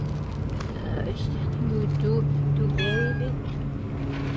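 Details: A lazy cat eats while lying down among other cats living at a cafe. A short rising meow sounds near three seconds over a woman's coaxing voice and a steady low hum.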